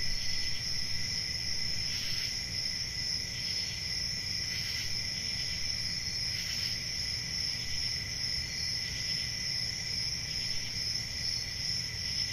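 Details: Crickets on a summer night in a forest: a steady, shrill high trill runs without pause over a fainter lower whine, with soft pulsing swells every couple of seconds and a low background rumble.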